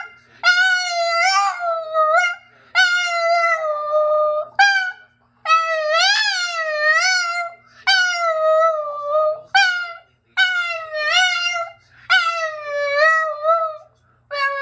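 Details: Boston the Boston terrier sings a series of long, wavering howls, each starting high and sliding down, repeated roughly every one and a half to two seconds with brief pauses.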